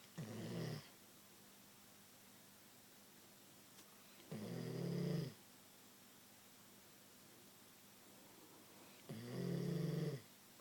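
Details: Queensland Koolie dog snoring while asleep indoors: three low, rough snores spaced about four seconds apart, each under a second long with a buzzy harmonic rasp, quiet room between.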